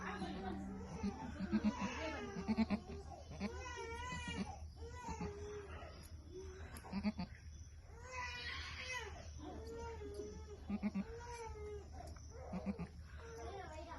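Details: Goat on a farm giving wavering, quavering bleats, several drawn-out cries recurring irregularly about once a second, over a constant low hum with faint voices in the background.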